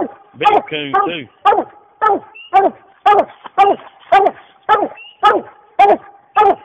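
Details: Coonhound barking while treeing a raccoon: loud, hoarse barks repeated about twice a second, each with a rising then falling note, a short yodelled bawl near the start, steady rhythm throughout.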